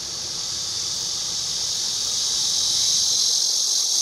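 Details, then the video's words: Cicada buzzing loud and continuous, described by its recorder as not a pretty cicada sound; a shrill, unbroken high drone that swells slightly toward the end, with nothing else clearly heard. "매미 소리"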